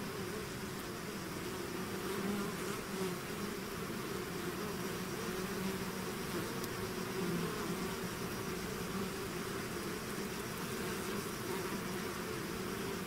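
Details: Bee swarm pouring out of its hive, a dense continuous buzzing hum with layered drone tones, steady in loudness throughout, many insects overlapping into one even wall of sound.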